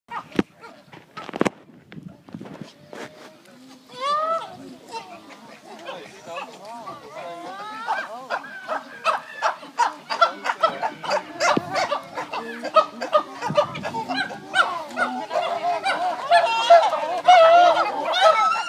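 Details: Chimpanzees at the Ngamba chimpanzee sanctuary erupt into a noisy chorus of overlapping hoots and shrieks after a few sharp knocks.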